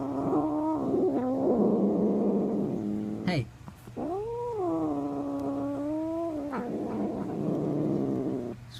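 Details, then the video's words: Male pet cat, just given a piece of bread, making odd noises: a rough, noisy growl runs into long, steady, harmonic yowls that arch up and then level off. A person speaks briefly nearby. "My cat makes funny noises"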